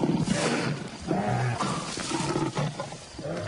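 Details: Lions at night, young males out playing; deep, rough, growling roars with throaty low rumbles running almost without pause, dense and continuous for three and a half seconds.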